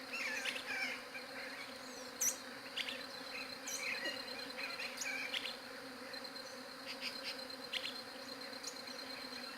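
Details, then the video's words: Continuous low bee drone, captured with a Galaxy J7 Prime 2 phone, holding an even pitch throughout, overlaid by frequent quick high chirps and a few sharp ticks scattered across the recording. "SOM DE ABELHA"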